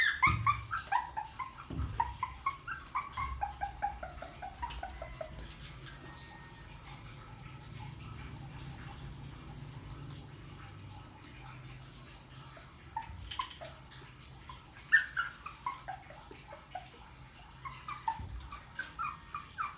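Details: A puppy whines and yips in short clusters at the start and again near the end, thin high cries with falling pitch, over a steady low hum.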